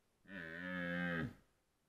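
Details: Rutting red deer in Białowieża Forest, 2023: one sustained, moaning bellow of about a second, rich in stacked harmonics, swelling slightly and then cutting off abruptly, with quiet surroundings.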